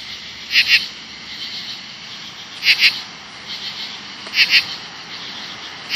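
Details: 17-year periodical cicadas give very loud, harsh buzzing bursts every two seconds over a steady, hissing chorus, next to bushes in the late evening in August 2013.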